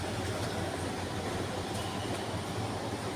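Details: Steady low rumble and broadband noise, like a passing vehicle or train, with no animal calls heard.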